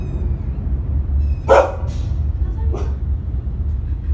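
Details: A Rottweiler on an aeroplane, reacting to the flight, gives a few deep, gruff barks over a steady low engine rumble.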